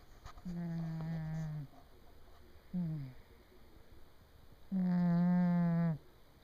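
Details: A sleeping male house cat snores loudly in a small room and stays asleep despite being bumped. A medium snore and a short one are followed by a long, louder, buzzing drone lasting over a second.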